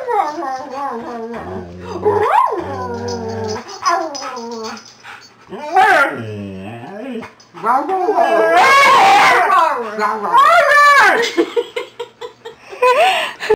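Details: Mussen, a Siberian Husky up for adoption at Pet Harbor Rescue, 'converses' indoors with a volunteer: drawn-out, wavering howl-like whines that rise and fall, plus short yips, alternating with a woman's affectionate speech.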